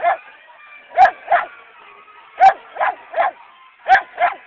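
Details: Dog disliking sirens at an annual parade: short, sharp barks in pairs and triplets, roughly three groups in a few seconds, with a faint siren tone in the background.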